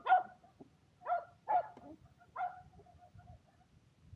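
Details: Shetland Sheepdogs Power and Beat at frisbee play in sunny weather: four fairly quiet, sharp barks spaced about half a second to a second apart over a low background rumble.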